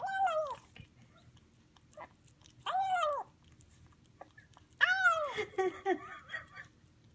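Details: Highland Lynx kitten eating a chicken dinner, giving three separate arched meows spaced a couple of seconds apart, the last one longer and breaking into rougher chatter, with faint background noise.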